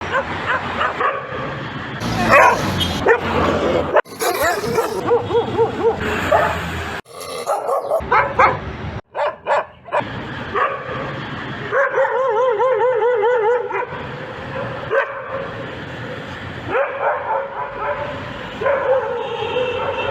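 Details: Dogs in a mixed sequence of sharp barks, rough growl-like bursts and a stretch of wavering, high-pitched whining hums, with abrupt cuts between segments.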